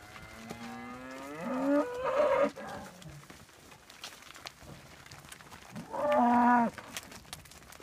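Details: Highland cattle being moved with Whitebred Shorthorn calves to new pasture; a drawn-out moo that rises and then breaks upward, then a shorter, steady, loud moo a few seconds later over faint outdoor background.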